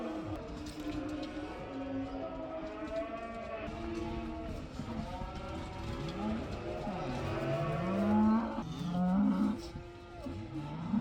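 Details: Herd of about 80 cows, one of them black, let outside for the first time, lowing together: deep overlapping harmonic moos from several animals, some rising and bending in pitch, growing louder toward the end.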